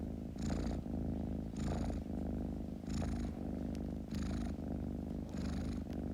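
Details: Kitten's low, vibrating purr, unbroken and rhythmic, swelling in five breathy pulses roughly every second and a quarter.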